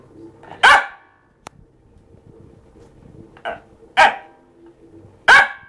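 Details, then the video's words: A male Fox Terrier gives sharp, spaced barks to invite its owner to play, especially when it is being ignored. "Ruby's song - when fox terrier wants to play"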